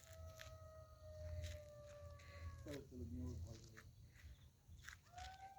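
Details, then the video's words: On a quiet winter night around 7:30–8 pm in a Bankura village, a distant golden jackal gives a long, slowly falling wail that breaks into a quavering yip, while a man talks quietly nearby. "শুধু শিয়াল ডাকছে।"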